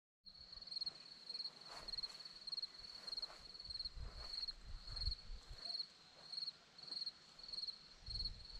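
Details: Crickets on a hillside at Zorlesti, Romania, giving rapid pulsed chirps in short bursts, roughly twice a second, steady throughout, with faint low rumbles and soft background noise beneath.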